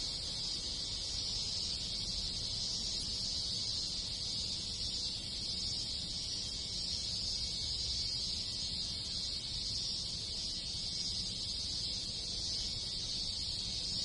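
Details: Cicadas in great numbers, joined by other insects, around a Japanese village in summer: a constant bright buzzing wash that holds level, with a low murmur of distant background noise.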